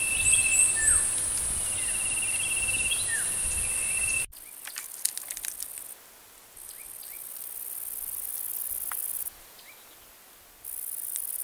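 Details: Kerik meadow katydid (Conocephalus melaenus) giving a high, hissing buzz for about four seconds. Brief bird-like chirps and whistles sound alongside it. After a sudden cut, quieter bursts of the same buzz stop and start.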